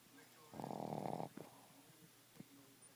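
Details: Little 10 lb Boston Terrier named Princess Peiper snoring indoors: one harsh, rattling snore of under a second, followed by faint clicks and quiet room noise.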